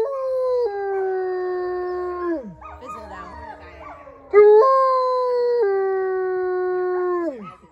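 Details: Wolfdog howling at Howling Woods Farm in New Jersey, answering a guide's led howl. Two long sustained howls, each starting high and stepping slowly downward before a final drop. Softer wavering voices fill the short gap between them.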